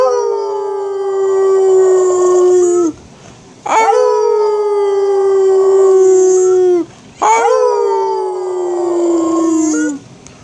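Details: Angus the dog, howling with a little help, gives three drawn-out howls of about three seconds each. Each is steady and strongly harmonic, opening with a quick upward swoop and ending with a slight downward bend, separated by short pauses.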